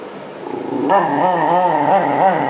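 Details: Shiba Inu growling while being brushed as it moults its winter coat in early spring 2012; a quiet start, then one continuous, wavering growl that rises and falls in pitch.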